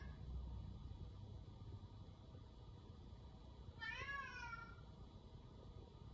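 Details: Pet cat meow heard indoors: a single wavering, slightly falling meow of about a second against a steady low hum.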